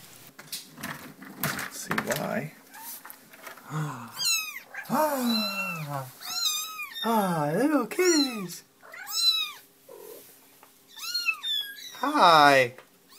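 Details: Kittens mew again and again, a run of high, wavering meows that rise then fall, some short and some stretched, following a burst of human speech at the start, with gaps of quiet between calls.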